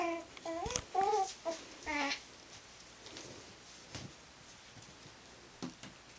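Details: Cairn terrier puppies at play give a quick run of high, squeaky whines and yelps that bend up and down in pitch.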